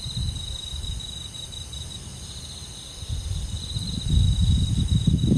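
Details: Crickets and other insects singing through a rural summer night in the forest: a steady, high, thin trill runs without pause, partly buried under deep rumbling wind noise that swells loudly near the end.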